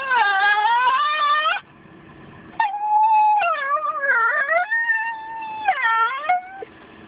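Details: Female white Miniature Schnauzer Winter, nearly 2 years old, sings her song after the car door dings: a rising howl, a pause, then warbling dips and swoops in pitch, ending with a short upward-bending cry.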